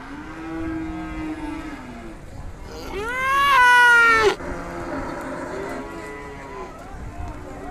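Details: Small young calf mooing: a hoarse low call at the start, then a louder, higher moo with a rich harmonic stack that rises and falls over about a second and a half, followed by quieter lowing against steady background noise.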